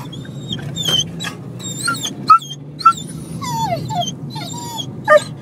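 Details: An excited dog named Buster gives high, thin whines and squeaky yelps, some bending downward, in quick bursts with brief pauses, over a low vehicle hum.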